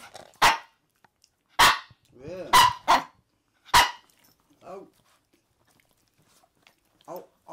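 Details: Maltese dogs claiming a bed at home, a male, a female and their daughter; a run of sharp barks mixed with higher whiny yelps that bend in pitch, then softer whimpers near the end.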